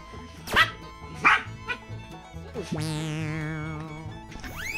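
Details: Two household dogs, a one-year-old female Miniature Dachshund and a nine-month-old female Pekingese-Chihuahua mix, bark while play-wrestling. Three sharp, short yips come in the first two seconds, then music with sweeping tones takes over.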